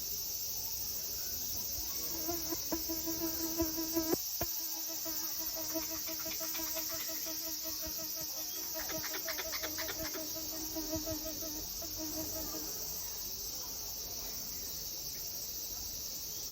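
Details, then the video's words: A wild squirrel visiting a house gives a low, buzzy, rapidly pulsed call over a steady high hiss, shaking its body as it calls. "［Sound⑤]When squirrel makes sounds,he shakes his body!"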